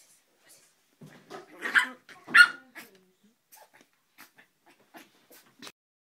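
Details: Joey, a dog said to hate Mike Wazowski, lets out a few soft grunting huffs, then two loud, rough barks close together near the middle, followed by faint scattered clicks and small noises in an otherwise quiet room.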